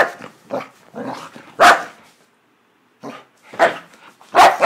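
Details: Duda, a happy pet dog, gives loud sharp barks mixed with softer breathy huffs and yips, in irregular bursts with a short silent gap midway.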